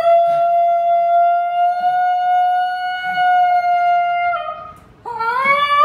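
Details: Female Basenji named Ginger Snap holds one long, steady, flute-like howl for over four seconds indoors, then breaks off and starts a fresh rising yodel after a brief pause.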